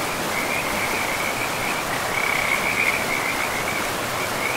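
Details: High, rapid trilling of frogs near a forest river, roughly even pulses with a brief stronger swell in the middle, over a continuous rushing water background.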